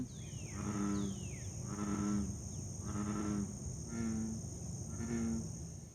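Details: An American Bullfrog in the southeastern US gives deep, resonant, cow-like drones, repeated about once a second in a steady 'jug-o-rum' series.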